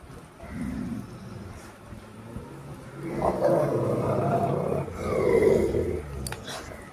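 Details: Rottweiler fighting: deep, rough growls swell after a quieter start, with two loud snarling surges in the second half, while a person calls out in Bengali in the background.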